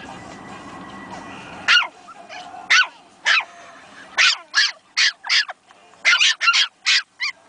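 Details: Two Pomeranian puppies newly finding their voices, yapping at one another: after a murmur of background noise, short shrill yips come in irregular bursts, some in quick pairs.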